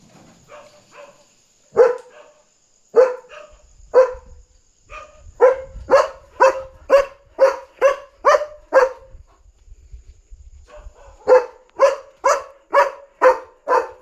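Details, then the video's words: German Shepherd guarding at night, barking loudly on alert because another dog is outside; sharp barks start spaced, then come in a fast run of about two per second, pause, and resume in another rapid burst, with a faint steady high whine behind. "Barking German Shepherd on Alert!"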